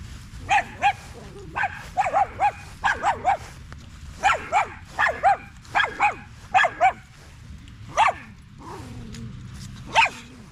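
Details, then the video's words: Staffordshire Bull Terrier at a park in the evening among other male dogs, giving short repeated barks in quick bursts, often in pairs or triplets, roughly a dozen barks with brief pauses between. "Long evening at the park male wolf pack chat"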